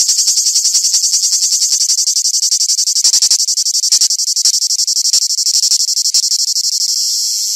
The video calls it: Cigale Sound !!!!